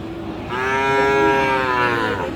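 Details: Sahiwal bull calf at Aftabganj market in Dinajpur, recorded 31 March, giving a single loud, sustained moo of nearly two seconds, rich and steady in tone, with faint market hubbub underneath.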